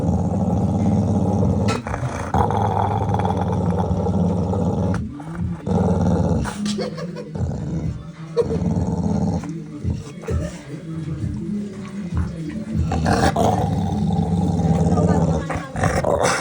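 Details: Angry pit bull giving a deep, continuous rumbling growl in long stretches broken by short gaps, with a few sharper snarling catches near the middle.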